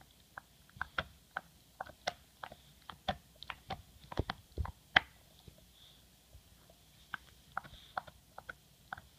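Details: English Bulldog named MOTO chewing his bone indoors, with irregular sharp clicking and crunching bites, a few loud snaps near the middle, in a quiet small room.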